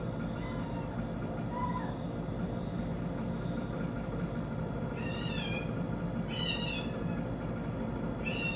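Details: Cat reacting to a kitten sound playing on TV: a few high, wavering meows in the second half, about a second apart, over a steady low rumble and hum.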